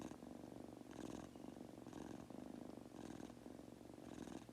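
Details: Munchkin kitten Goku purring while nodding off, a close rich rumble swelling with each breath about every second, snore-like and steady.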